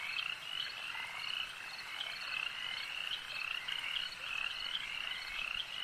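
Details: Numerous frogs croaking together at a lake, their bright, trilled notes overlapping into an unbroken shimmering chorus with small repeated chirps rising above it every half second.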